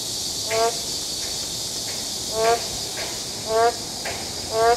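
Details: Boreal digging frogs in an urban forest give short, nasal, harmonic croaks, each a fraction of a second, spaced one to two seconds apart over the steady hiss of rain.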